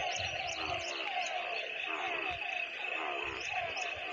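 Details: Rainy-weather frog chorus of overlapping, rapidly repeated croaking notes over a constant high trilling band, with occasional low thumps and rumbles in the background.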